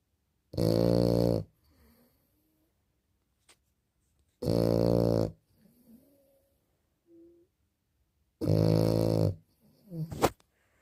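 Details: A small, sleeping French Bulldog gives heavy, buzzing snores in a steady rhythm, about one every four seconds, with soft snuffles and breathy sounds between.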